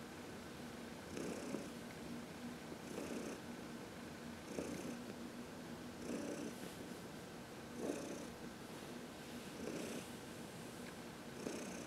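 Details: Contented purring by Heidi, a 14-year-old cat adopted in 2019, during a sunny massage on March 19, 2021; regular breathy pulses recur about every one and a half seconds, each inhale and exhale audible.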